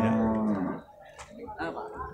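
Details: Beef cattle at the Purwakarta livestock market on Monday 15 July 2024: one short, deep, steady moo lasting under a second opens the clip, followed by market bustle and faint voices.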